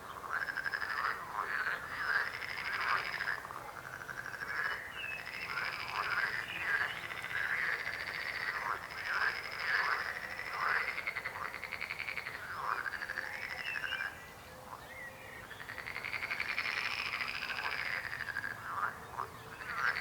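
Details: Many frogs croak together in a sustained, pulsing chorus; looping nasal croaks overlap in quick succession beneath a thin high buzzing trill, fading briefly near the middle before swelling again.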